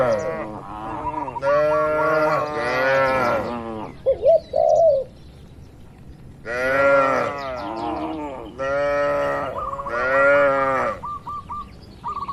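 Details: Cattle grazing together in open green countryside: repeated long, wavering moos from more than one animal, in two bursts separated by a pause with a brief dove coo and faint chirping birds.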